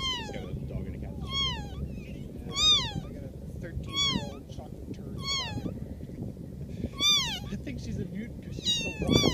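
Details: Cat meowing over and over, about seven high, arched calls spaced roughly one to one and a half seconds apart, each rising then falling, with a steady low hum underneath.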